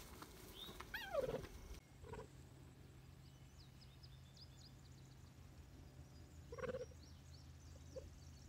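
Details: Four captive cheetah cubs, three months old, given meat treats such as frozen-thawed rabbits; a loud wavering chirp with stacked harmonics, a short thud, then a second quieter chirp several seconds later over steady low background hum.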